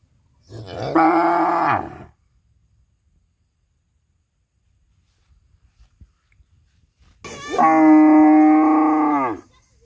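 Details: A cow in a village gives two long, rich moos several seconds apart while cows run, calling out from fear of being left alone.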